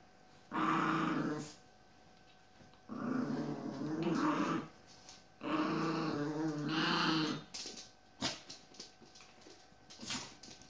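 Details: Aggressive Chihuahua that does not take well to a playful Jack Russell Terrier pup, with three sustained, raspy growling bouts of one to one and a half seconds each, followed by sharp taps and clicks as the growling stops.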